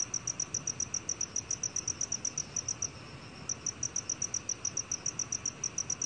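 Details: Black cricket, recorded in 2020 for the National Institute of Biological Resources, chirps in quick, bright pulses nearly four per second, breaking off briefly around three seconds before carrying on; light background hiss.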